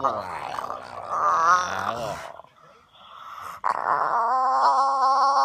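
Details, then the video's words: Bulldog grunting and groaning on waking in the morning: two drawn-out, wavering, throaty vocalisations, the first about two seconds long, then a pause and a second sustained moan with steady harmonics; a person exclaims at the end. "grumpy dog makes hilarious sounds when woken up"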